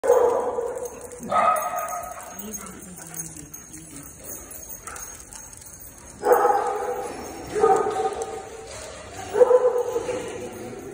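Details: Dogs Gray and Ozzie in playful hijinks: five loud, harmonic barks in short bursts, two close together at the start and three spaced about one to two seconds apart later, with quieter gaps between.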